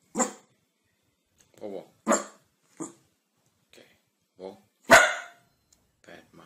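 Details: Dog barking in a funny compilation: scattered sharp single barks separated by pauses of a second or more, one louder burst near the end, with faint voices in between.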